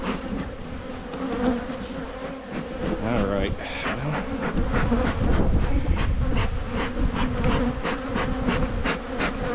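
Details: Michigan beekeeping yard with hives being divided to curb swarming. Thick, even honey bee drone throughout, with a rumbling low undertone and a short wavering tone partway through.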